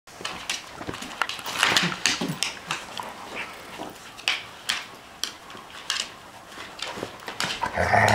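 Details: Two poodles, a female and a male, wrestling indoors during a play brawl; she pins him down. Short rough growly bursts mix with many sharp scuffling clicks and thumps from paws and bodies, with brief louder snarls around the middle.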